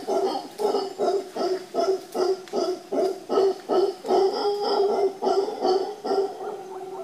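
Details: Deep rhythmic roaring from howler monkeys on Costa Rica's Papagayo Peninsula in Guanacaste, a steady train of hoarse, throaty pulses repeated roughly two to three times per second without pause, loud and close.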